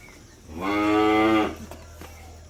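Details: Dairy farm cattle give a single full-throated moo of nearly a second, steady and strongly harmonic, rising in loudness then ending, with faint background hum and a couple of small clicks afterward.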